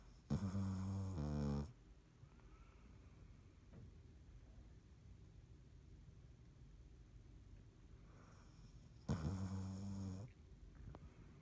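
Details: Sleeping cat Dottie snores indoors on March 17, 2019: two low, rasping, harmonic snores, each about a second and a half long, separated by roughly seven seconds of quiet breathing and faint room noise.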